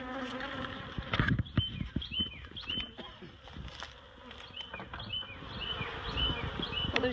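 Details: Honeybees being relocated from a barrel to a new hive at Miss Bee Haven, their queen already moved: a dense low buzzing hum under knocks and clatter of excavation, with short high bird chirps repeating in the background.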